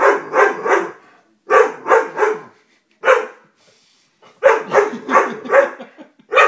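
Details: Fearful Dobermann puppy barks at a stuffed toy, each run holding two to four sharp, bright yaps. An uneven gap of about a second falls between the groups.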